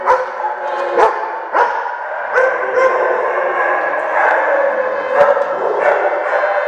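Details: Group of dogs at Central Bark Doggy Day Care, Oswego, Illinois, answering a siren test on January 3, 2012: dense, continuous layered howling with a few abrupt barks early on.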